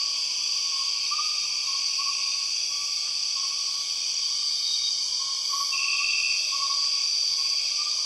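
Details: Empress cicadas, the largest and among the loudest cicadas, in Borneo jungle: continuous high shrill buzzing in several bands, over rapid, slightly uneven lower chirps repeating around three times a second, one brief trill near the end.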